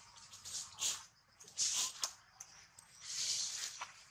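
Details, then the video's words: Baby monkey, its leg nearly severed by a bite from a big male monkey, gives three short, harsh, high-pitched squealing cries spaced about a second apart, the last one longer and drawn out, over a low steady background hum. "Thương Hại Chú Khỉ Con Bị Khỉ Đực Lớn Cắn Gần Đứt Chân"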